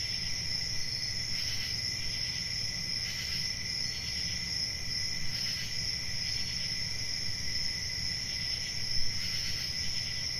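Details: Summer-night cricket chorus, continuous shrill trilling held at one high pitch with a fainter lower tone, brief pulses of extra loudness every couple of seconds, soft low rumble underneath.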